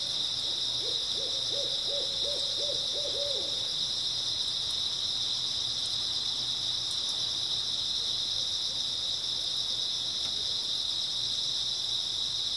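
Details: An early autumn night chorus of grass insects hums high and constant, with a short early string of about nine low, rapidly repeated arched notes from another animal before only the insects remain.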